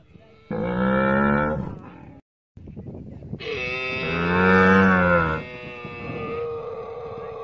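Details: Camel calling in two long, harmonic groans separated by a brief silence. The second is louder and swells then fades, followed by a softer trailing tone.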